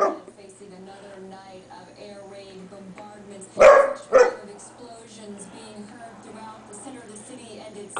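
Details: Playful tug session between Bailey, a male standard poodle, and his companion Libby, filmed in 2003: a pair of quick, loud barks midway through, surrounded by a person talking and faint music.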